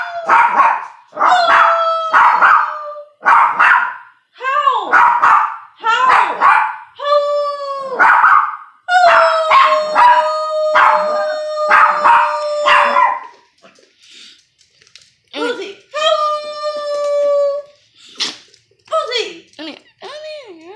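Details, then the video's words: Domestic dog prompted to howl by a woman who howls along; wavering drawn-out tones overlap with her voice and talking, a long sustained howl near the middle, and shorter yips toward the end. "My mom trying to make my dog howl"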